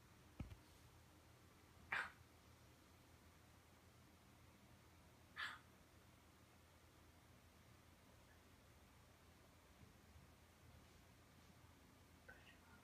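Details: Morkie (Canis familiaris), chirping: wanting to play.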